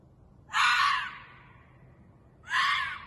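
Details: Ezo red fox screaming at about 2:30 am on 11 June 2021 in a residential parking lot in Sapporo: two harsh, hoarse, shrill screams about two seconds apart, each roughly half a second long, over a quiet night background.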